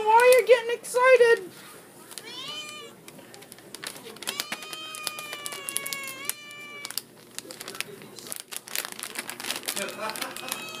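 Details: Female cat demanding treats kept in a cabinet, indoors; two strong quavering meows open the recording, followed by mostly human speech and light clicking.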